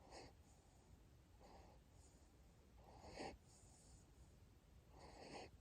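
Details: Sleeping Siberian Husky puppy, a female named Asiri, in Japan, snoring softly: breathy, wheezy rasps come in uneven bursts about every one to two seconds over a quiet background hiss.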